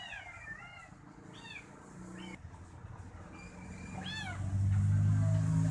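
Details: Kitten pressed against its owner's foot while being toe-massaged, mewing as if asking to continue; several quick, high, bending mews in the first four seconds, then a loud low rumbling drone takes over.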